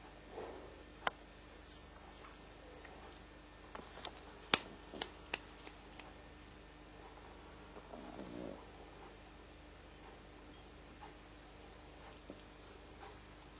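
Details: Frank, a pet pug, snoring while sleeping indoors: faint, breathy rasping snores in slow, uneven rhythm, with a few sharp clicks and taps between breaths.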